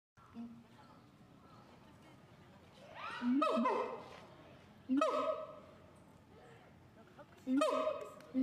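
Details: Siamang calling. Three loud, rising whooping notes with a sharp upward sweep, each followed by a sustained ringing tone. They are spaced about two seconds apart over a low background murmur.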